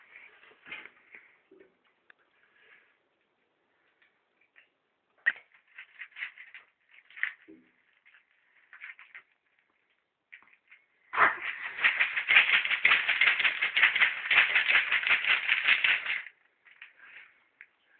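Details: Rudi the pet ferret, fighting over food, makes scattered soft chuffs and squeaks, then a sustained five-second burst of rapid harsh chattering pulses. Quieter scuffles follow.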